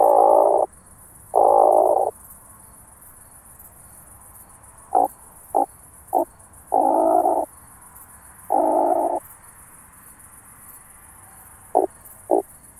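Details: Recorded in Starnberg, Germany, 18 July 2023, via a Pettersson D 100 ultrasound detector, an oak bush-cricket gives two long buzzing bursts, then a run of brief clicks and further extended bursts, spaced irregularly against faint background hiss.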